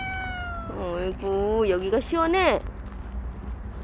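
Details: Stray cat Bolt, who stayed with people for a year and five months, gives a steady held tone, then a wavering, bending meow and a final falling cry, with low hum beneath.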